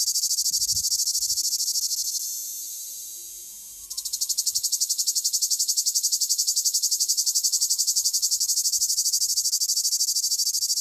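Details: Southern French male cicada: shrill continuous buzz that tapers into a quieter hiss, then abruptly resumes as strong, evenly throbbing pulses held to the end; occasional faint low rustles underneath.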